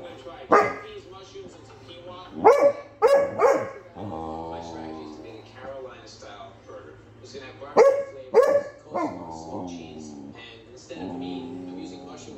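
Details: Basset Hound barking at a Victorian Bulldog at close range: sharp barks in tight clusters of two or three, separated by drawn-out, harmonic tonal sounds of a second or more, with pauses between the bouts.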